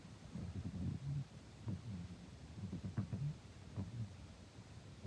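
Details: Domestic cat, turning 15 in July 2026, snoring while napping by day: soft, low rumbling breaths that come about every two seconds, with faint background hiss.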